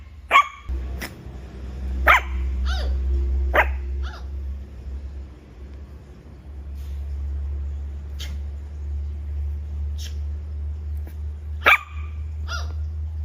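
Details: Small pup letting out several high-pitched yaps early on, a quiet stretch, then another sharp bark followed by a whine, all over a low droning hum.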